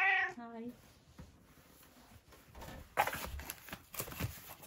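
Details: A cat at dinnertime gives one short, clear meow at the start that drops in pitch, followed by soft clicks and eating noises in a quiet indoor room.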